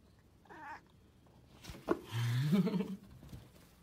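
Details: Stray cat on the street meowing: a brief mew, then a drawn-out, wavering low meow, with a soft woman's voice speaking to it.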